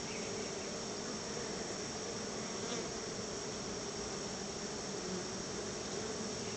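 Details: Many honey bees gathering at their hive as their keeper brings them a treat of store-bought honey: a dense, steady buzzing hum with a low drone band, unbroken for the whole stretch.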